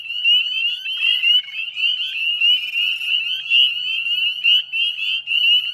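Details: Northern spring peepers calling en masse at a salt marsh wetland in West Chezzetcook, Nova Scotia, at dusk in mid-May 2020; shrill upslurred peeps pile up into a steady, pulsing high-pitched ringing with no other voices standing out.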